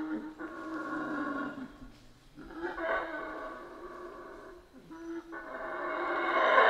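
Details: Howler monkeys in Central American rainforest, heard as several rough, moaning howls broken by short pauses, the last rising to the loudest point at the end.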